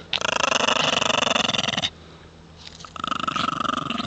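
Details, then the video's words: Shih Tzu males born in the Canadian mountains, fighting over a stick on an ice road in the north; rapid pulsed rasping growls fill nearly two seconds, a brief pause, then another burst of harsh throaty growling. "Shih tzu boys Canadian mountain born battle for a stick on the ice road"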